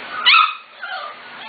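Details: Corgi puppies, 5-6 weeks old, from three litters together: one short high yip with a quieter trailing whine.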